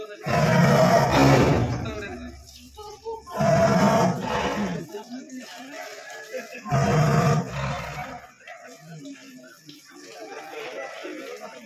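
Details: Tiger newly caught in a cage at Chiral, Wayanad, gives three loud, deep, rough roars roughly every three seconds, each lasting about a second and a half, with people talking in between.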